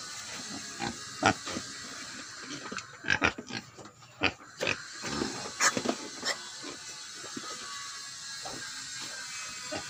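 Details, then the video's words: Farm-raised herd of wild boar hybrid pigs, hungry at feeding time, giving short harsh squeals and grunts in irregular bursts, thickest between three and six seconds, over a steady high hiss. "Nuôi Đàn Heo Rừng Lai"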